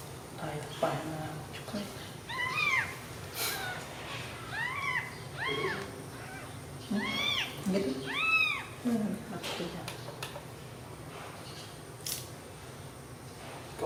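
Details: Newborn kittens sleeping together after feeding on milk give a run of short, high, arched mews, about a dozen over several seconds, with background chatter and faint music.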